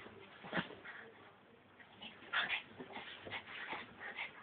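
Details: Frankie the Brussels Griffon, wild and excited, gives squeaky whimpers and a couple of sharp yips at irregular intervals over a low rustling background.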